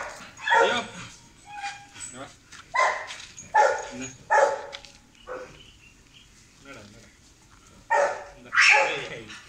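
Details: Beagle named Leo, a pet dog at play, giving short sharp barks in irregular bursts spaced a second or more apart, with a person talking to it between barks.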